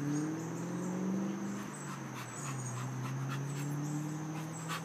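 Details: Moses, an American Pit Bull mix available for adoption from a shelter, gives a long, steady, low whining tone that wavers slightly in pitch and runs unbroken for about five seconds, with faint breathy noise behind it.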